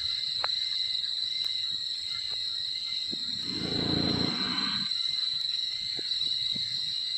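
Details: Sleeping wild Sumatran elephant gives a single deep, raspy snoring breath of about two seconds in the middle, with a steady shrill insect hum and faint clicks around it.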